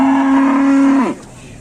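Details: Cattle in Indonesia giving a loud, level moo held for about a second before dropping away abruptly, followed by quiet background.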